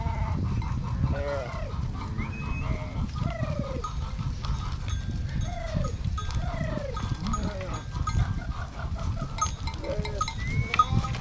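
Sheep bleat in short, wavering, nasal bursts while bells clank steadily in the background.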